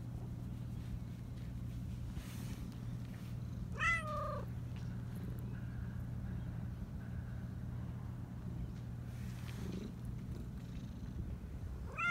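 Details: A talkative, high-voiced black Persian cat gives a clear, high meow that rises and falls, over a steady low hum.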